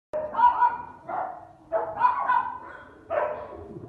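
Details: Labrador Retriever puppies yelping: four drawn-out, tonal, whining yips, roughly one each second, over a low background murmur.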